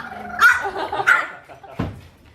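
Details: On its departure day from home in Oyabe, Toyama, Japan, a French Bulldog puppy gives two brief, high-pitched yaps roughly 0.6 seconds apart, followed by a duller, lower burst, then quiet.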